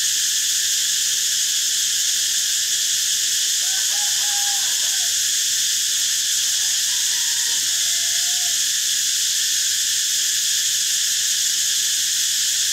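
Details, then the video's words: Cicadas droning in a continuous high-pitched metallic hiss, while two short, faint, whistled notes from another creature break through in the middle. "เสียงจักจั่น Cicada sound"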